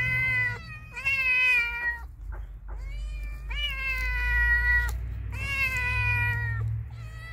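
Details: Cat or kitten calling repeatedly: a run of five or six sustained meows, some short and some drawn out, rising at the onset then level, with a steady low hum underneath.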